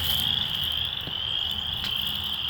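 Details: In Michigan on 27 March 2023, a chorus of frogs gives a steady, high, shrill trill that never breaks.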